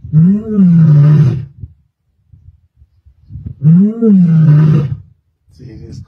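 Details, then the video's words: Msuthlu lioness roaring at Sabi Sands on 23 May 2024: two strong, deep roars, each rising then sagging and trailing off over about a second and a half, spaced roughly two and a half seconds apart, then a softer grunt. "Msuthlu Lioness Roaring"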